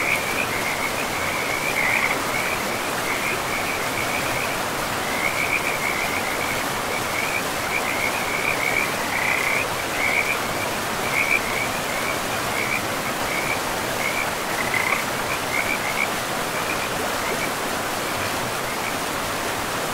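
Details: Frog chorus by a river in a pristine, moss-covered forest: a steady, high, pulsing trill that rises and fades in short stretches, partly masked by loud rushing water.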